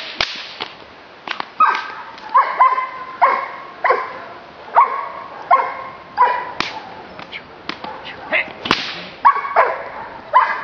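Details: Giant Schnauzer, Blackmoore, barking repeatedly: about fifteen rough, harmonic barks in quick, uneven succession, with sharp cracking snaps scattered between them.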